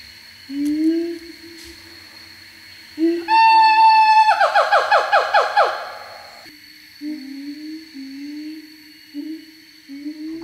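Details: Siamang family in forest, a kind of gibbon, conversing: father inflates throat sac to call and mother answers. Low rising hoots, then a burst of loud descending barked notes about two seconds long, then more short rising hoots. Faint music underneath.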